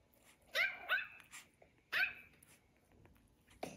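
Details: Female Maltese puppy, pet dog playing with an iPad inside a small room, barks in a quick pair of high, sharp yaps, then after a pause a single louder yap, with faint room rustling.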